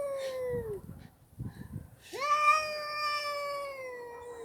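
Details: Pet cat, Mickey or his red companion. A falling meow is followed by soft scratchy taps and then a loud, sustained, rich-toned meow that slowly sinks in pitch over more than two seconds.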